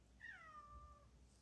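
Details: Kitten being invited indoors to eat its meal gives a single clear meow that starts high and slides smoothly downward, set against a quiet room.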